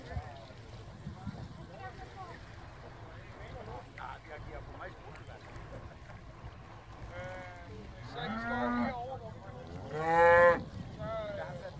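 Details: Hereford cattle, eleven cows with calves shipped from Tåsinge on the boat Yrsa and landing on Skarø on 13 April 2016 to graze all summer; loud harmonic bawls late on, one swelling strongly, over low murmuring voices and boat noise.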